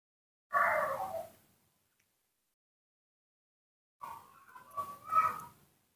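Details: Baby monkey Nomi, kept and cared for at home, being dried and treated with Acifar ointment after a bath in betel leaf water: a short harsh cry, then after a long silence a wavering, drawn-out squeal with uneven pulses.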